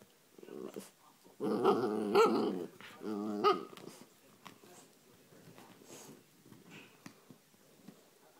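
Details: A 3-month-old female Basset Hound puppy playing hyperactively with her brush gives a run of rough, harmonic barks and growls over about two seconds, then falls quiet with soft rustling as she settles.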